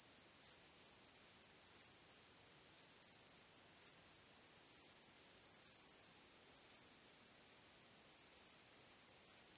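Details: Crickets on a starry night: a steady, very high-pitched ringing trill, with brighter chirp pulses standing out about once a second. No other sounds.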